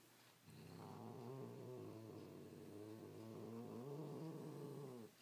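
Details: Cat protecting his toy from another of his toys, giving a continuous rumbling growl of about four and a half seconds with wavering, pulsed tone that rises slightly in pitch toward the end.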